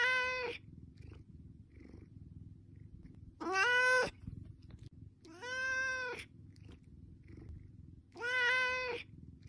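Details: Hungry house cat begging for food with loud, sustained meows spaced two to three seconds apart, rich in harmonics, against a continuous low hum.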